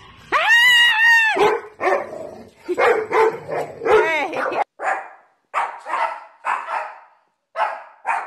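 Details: Siberian Husky vocalizing, a long wavering howl-like whine that opens the recording, followed by a run of short yelping, barking calls with brief silent gaps between them.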